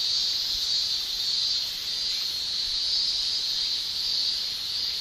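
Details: Male cicadas in a Japanese summer, shrilling with tymbals: a steady, dense high buzz that swells and eases gently, with no pauses, many insects blending into one continuous drone.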